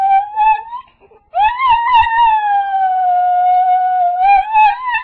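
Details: Crying dog, called very loyal, gives a long high whine that rises slightly and then holds steady. A brief break splits it from a second sustained whimper lasting several seconds, in a quiet small room.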